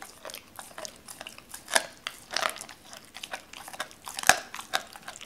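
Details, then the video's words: Doberman named Cola crunches raw chicken pieces, cut and pulled apart at the joints after a wary start. Dense, uneven crunching and cracking, with louder snaps near two and four seconds, in a small room. "도베르만 생닭 먹방 ASMR"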